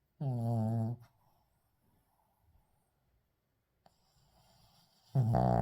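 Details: Shih Tzu Uijung sound asleep, unedited recording: a loud, buzzy, vibrating snore with a steady droning tone, a quiet stretch of soft breaths, then another strong snore rising at the end.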